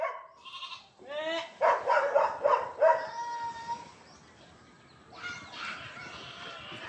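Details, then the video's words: Goats being herded by a newly hired shepherd give a run of wavering, harmonic bleats, several overlapping in quick succession over about three seconds, then fade, with a fresh burst near the end and faint voices around. "pastol ng kambing /giat shepherd"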